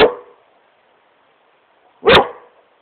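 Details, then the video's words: Smokey the Great Pyrenees playing on his couch in his room, two deep barks about two seconds apart with quiet between. "Great Pyrenees smokey barking at couch"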